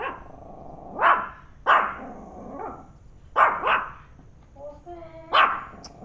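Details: Dog Penny barking at a turtle at home: scattered loud barks, some in pairs, separated by pauses, with a person's speaking voice near the end.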